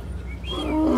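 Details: A lion (Panthera leo) on a Disney World safari ride roars deeply, swelling from a low rumble and growing louder in a single breath.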